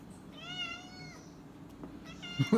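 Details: Pet cat at dinner time, in a home with a Boxer dog. Two clear meows, the first long and slightly arching, the second shorter, followed by a brief clatter and a person's voice.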